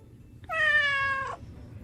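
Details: Domestic cat, one of two rescued house cats (a black male and a red tabby female), giving a single clear meow just under a second long, a steady harmonic tone dipping slightly at its end, in a quiet indoor setting.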